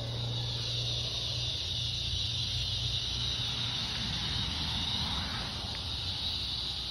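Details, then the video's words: Evening chorus of cicadas in summer, August 4th, heard on a stroll as light fades: an unbroken, hissing high-pitched drone dominating the soundscape, with a faint low hum underneath. "Evening Cicada Song Stroll"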